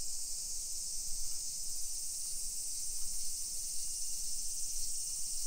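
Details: Summer cicadas in a hillside residential neighborhood of Nisshin city, Aichi Prefecture, Japan, about 20 km from downtown Nagoya, at 1 PM on 28 July 2021: a steady, high-pitched hissing chorus runs unbroken over faint low street rumble.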